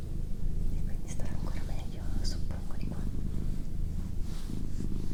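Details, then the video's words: Pet cat Doroti, female, purring with a deep, pulsing rumble that rises and falls in regular beats, while soft whispering and small rustles sound nearby. "Cat Purring"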